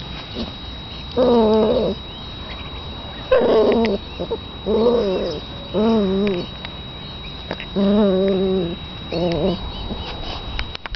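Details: Repeated puppy whimpers: six wavering, moaning whines, each under a second long, spaced irregularly about every one to two seconds, with a low steady hum in between.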